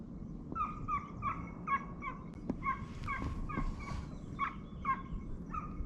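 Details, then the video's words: Hunting hounds on a hare chase at the 2023-24 season opening, after a dry summer, give a run of barking bays, each short and ringing, about two per second, some overlapping, with faint rustling behind. "Kopayla Tavşan Avı"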